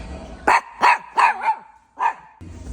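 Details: Miniature Pinscher, ten years old, at a dog playground in Hanam, barking while told to wait for a treat: four sharp, loud barks about every third of a second, a pause, then one more bark, with a soft whine between.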